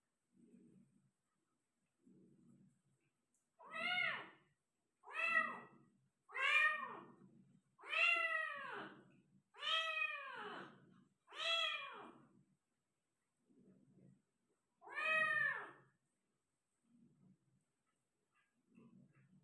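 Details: Persian cat in labour, delivering five kittens indoors: a run of loud, arching harmonic meows about once a second, with soft low murmurs or mews between them before and after.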